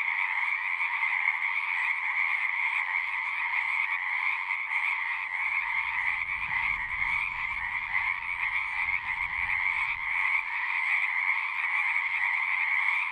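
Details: Frogs at a pond in a horse pasture, recorded with a Zoom 6, keep up a dense, high-pitched trilling chorus over a lower buzzing layer. A soft low rumble rises in the background around the middle, then fades.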